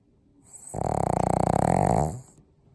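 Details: A pug gives one snore about a second and a half long, a grating, fluttering rasp that rises and fades smoothly, with faint room noise before and after.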